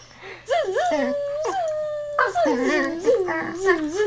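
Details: Female pet dog that dislikes being buzzed at, giving a run of drawn-out, wavering howl-like whines that rise and fall in pitch, one after another, over a faint steady hum.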